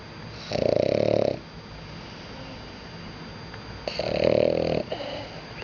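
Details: French Bulldog asleep, giving two rasping, vibrating snores close to the microphone, each nearly a second long and about three seconds apart, with soft wheezy breaths in between.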